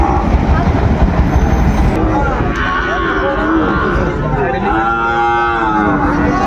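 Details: Sahiwal bull calves at the opening of Ambari cattle market, Dinajpur, Bangladesh, on 28 March 2025; a drawn-out harmonic moo rises over constant loud crowd chatter and bargaining voices, with another bellow earlier.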